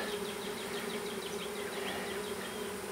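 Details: Small honey bee swarm being hived into a privet hedge thicket in south Alabama on 12 April 2014; steady, even droning hum throughout, with faint high chirps from birds in the background.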